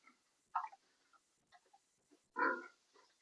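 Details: Sow that is not coming into heat, grunting softly: two fuller, rough grunts about two seconds apart, with faint short snorts and clicks in between, in a quiet setting.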